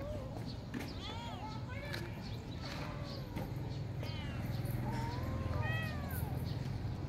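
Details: Cats at morning feeding time give several short arched meows that rise and fall, overlapping one another over a steady low rumble of background noise.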